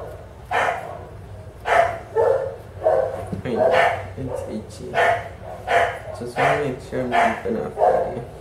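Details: During a skin scrape for demodex mites at a southern California vet clinic, a bulldog lets out a steady series of rough, throaty barks, roughly one or two per second, with a person talking over them.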